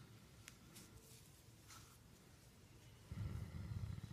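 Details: Becket, a Great Dane therapy dog, is petted and gives a brief, low, pulsing purr-like rumble near the end after a quiet stretch of faint room sounds.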